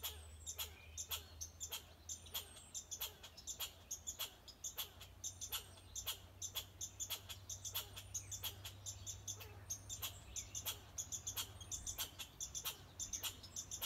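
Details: Red squirrel scolding with rapid, harsh chuck barks in a rhythmic series, a low steady hum underneath and soft high bird whistles in the distance.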